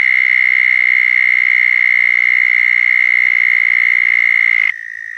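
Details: Southern toad mating call recorded in Florida: a loud, continuous, even-pitched buzzy trill lasting almost five seconds, ending sharply and giving way to a quieter trill from another toad.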